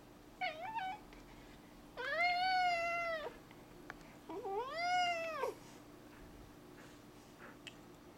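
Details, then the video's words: A 4-year-old male cat indoors, talking while a lizard is outside: a short wavering meow, then two longer rising-falling meows about a second each, with a person speaking softly between. "Cat talks about a lizard"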